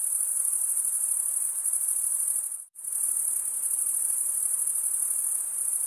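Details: Stridulating male crickets give a continuous high shrill trill that cuts to a brief silent gap midway, then resumes at the same steady level with rapid pulsing.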